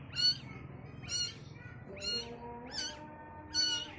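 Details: Baby kittens seeing the world for the first time give five high, arched, thin meows spaced about a second apart, with faint steady tonal sounds like soft music underneath.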